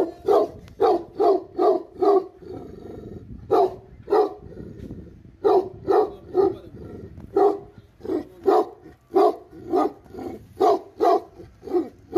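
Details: Tibetan Mastiffs (Bhote Kukur) in an angry barking fit: around twenty deep, forceful barks in quick, fairly even succession, grouped in short runs with brief lulls, over a faint rumbling background.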